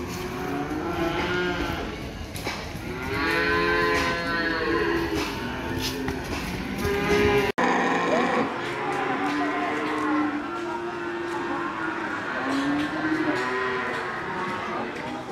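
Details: Several cattle lowing together at Pasar Sapi Ambarketawang, Gamping, Jogja: repeated wavering moos overlap over fifteen seconds, some rising then falling in pitch, against constant crowd chatter and market bustle.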